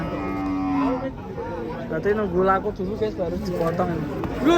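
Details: A cow lets out a flat, sustained low moo for about a second, then human talking and rippling vocal sounds fill the rest.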